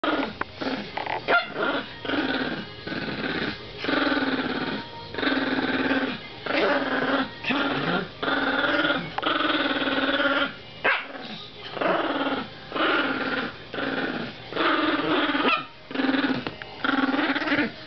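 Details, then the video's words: Two Chihuahuas playing tug of war, one growling fiercely; repeated rough, snarling growl bursts of one to two seconds each, separated by short pauses, throughout. "Chihauhua Fight!"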